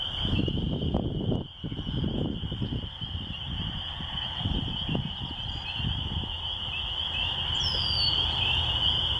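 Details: Spring peepers massed at a rural church, their high shrill chorus running steadily behind heavy low gusty rumbling and handling noise, with a brief faint higher whistle near the end.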